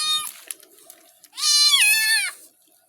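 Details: Pet cat named Simbu being bathed, giving one long drawn-out meow with rising then falling pitch lasting about a second, after a brief earlier cry, in a small indoor room.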